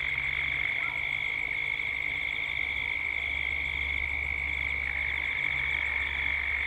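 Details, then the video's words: Cicadas at dusk in Gippsland, Australia, captured as a 3D binaural soundscape: a steady, shrill droning chorus with a pulsing higher layer above it, over a low constant rumble in the background. "Cicadas at dusk"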